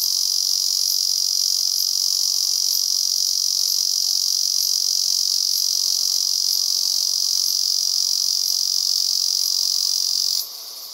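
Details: Male Ezo cicada filmed in cloudy weather during a rainy season, producing an intense unbroken high buzzing drone with faint regular clicks about once a second, cutting off abruptly near the end.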